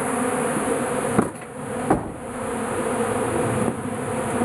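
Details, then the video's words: A crowd of bees gathers in a shed around melting beeswax and remaining honey, producing a steady layered buzzing drone, with two short knocking sounds near the middle. "Bees in my shed!"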